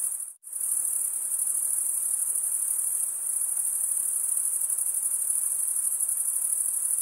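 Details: A shrill cricket chorus, males rubbing one wing's comb-like teeth with the other wing, cuts out for an instant near the start, then resumes as a steady high buzzing trill.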